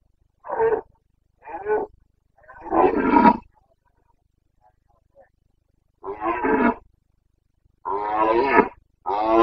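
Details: Rutting Carpathian stag, red deer, roaring in the Bucovina mountain forests on 29 September 2022: rough groaning bellows in short bursts, two brief ones then a longer roar, pause, and three more strong drawn-out roars.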